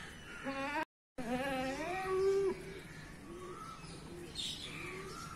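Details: Goat bleating in two wavering, nasal cries, the second longer and bending in pitch, followed by quieter bird chirps in the background.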